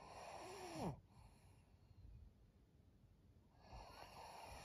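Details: Senior fawn female Pug named Maria, twelve years old, filmed in Japan in April, snoring in short breathy bursts with a brief nasal snort near the start, then quiet breathing and a steady faint hum behind.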